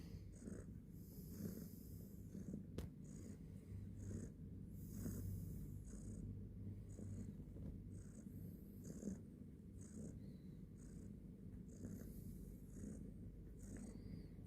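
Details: Purring house cat, described as mendengkur, filmed in the morning: soft low rumbling that swells and fades with each breath, steady and unbroken, plus a single sharp click early on and faint repeated high ticks.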